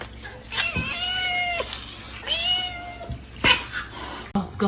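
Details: Domestic cat meowing twice in long wavering cries that rise and sag, followed by a brief squeak, with faint background noise and a soft thump near the end.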